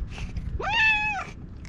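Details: Orange tabby stray cat talking to a person while rubbing against them, recorded on a GoPro HERO8: one clear meow of about 0.6 seconds, starting low, quickly rising to a steady tone, then falling away at the end, over faint low rumble.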